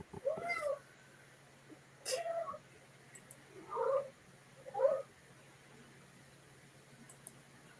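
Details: Pet domestic cat indoors during a live stream, likened to a kid squealing in the back; four short, squeaky, wavering cries spaced roughly one to two seconds apart, with faint clicks and a low electrical hum between.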